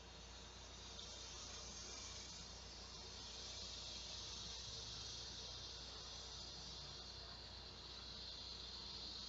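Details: On a hot midday in August 2016, large male cicadas call to attract females. The high, dense, hissing drone runs without a break, growing slightly louder and fading toward the end, over a low steady hum.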